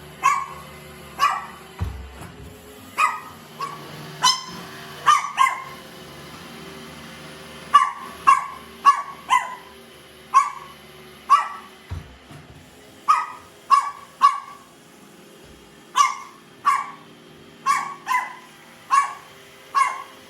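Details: Pet Chihuahua indoors with a baby, intrigued by a robot vacuum cleaner, barking in sharp, high yips, singly or in quick pairs and triplets about every second for twenty seconds, over a low machine hum with occasional thumps.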